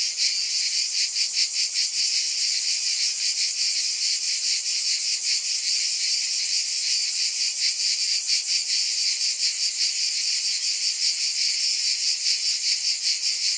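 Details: Cicadas in a steady, dense high buzz, a continuous wall of insect sound with faint rapid pulsing throughout; no other sounds stand out.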